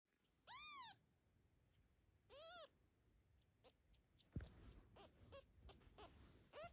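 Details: Mother cat protecting her 6-day-old kitten, carrying him to safety from the camera; two clear arched meows early on, then softer short calls amid indoor rustling and a sharp knock.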